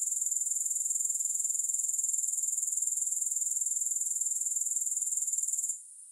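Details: Continuous high-pitched grasshopper trilling without music, pulsing evenly about four times per second, cutting off abruptly just before the end.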